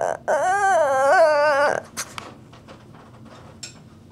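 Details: A Shih Tzu named Wrigley, asking to play, gives one long wavering whine lasting about a second and a half, followed by faint clicks and soft indoor rustling.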